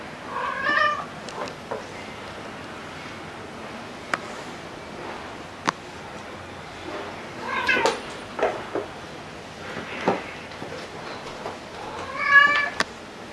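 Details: Indoor pet cat, Luna the black cat or Angel the tabby: three soft, harmonic meows spaced about five seconds apart, amid sharp clicks, taps and quiet room noise.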